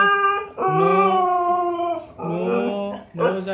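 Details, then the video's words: Siberian husky singing in long, sustained howling notes that sweep gently upward, then a shorter wavering phrase and a final rising yodel-like burst, voiced and tonal throughout. "Syberian Husky singing"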